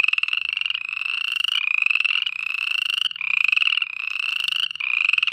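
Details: Night-time frog chorus of rapid, raspy pulsed croaks in bursts of about one second, each gliding gently upward, packed closely together with almost no silence between them.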